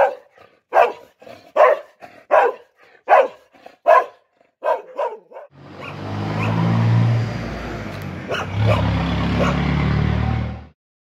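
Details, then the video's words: Dog barking in a run of about ten short, sharp barks that grow softer, followed by a long stretch of loud, low engine rumble like a passing vehicle. "DOGS BARKING"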